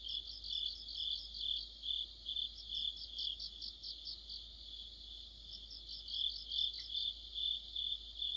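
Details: Crickets and companion insects in an autumn chorus: high ringing trill with pulsed chirp bursts that thin out briefly midway, then resume louder and denser.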